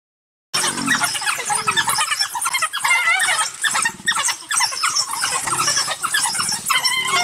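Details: African wild dogs hunting a leopard in Africa give a dense chorus of high, bird-like twitters and squeals from several animals at once.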